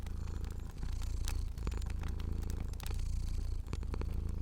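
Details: Sleeping fluffy pet cat purring in a cozy indoor setting: a steady, deep, rumbling purr with a fast pulsing throb runs throughout, while sharp crackles and pops of a burning fire break in irregularly over it.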